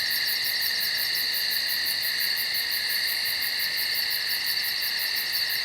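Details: Insects at night in the woods produce an unbroken shrill chorus: layered steady hums plus a quick, even pulsing trill high above, constant in loudness.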